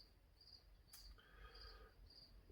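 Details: Crickets inside a workshop give faint, high-pitched, shimmering chirps in brief trilled bursts, spaced irregularly about every half second to second, over a steady low hum, a sharp knock and a brief mid-pitched tone.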